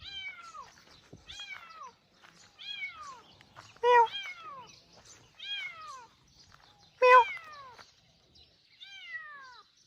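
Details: A stray kitten found in a rice field gives a string of high, falling meows, roughly one every second, with two loud, clipped cries standing out among softer calls.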